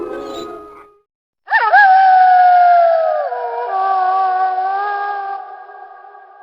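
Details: A single wolf howl that starts with a quick upward swoop, holds a long steady tone, steps down in pitch midway, then fades slowly.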